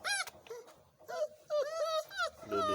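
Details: Five-week-old Boerboel puppies at breakfast time, whining in short high, tonal, wavering whimpers that rise and fall, coming in bursts separated by brief pauses, with faint indoor background sounds.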